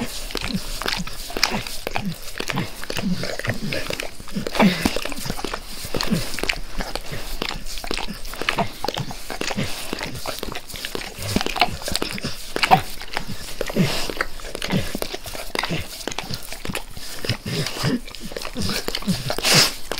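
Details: Sustained face licking by Max the dog, recorded up close for tinnitus-masking ASMR: twenty seconds of steady wet lapping and clicking, fairly even in pace, with a faint hiss in the background.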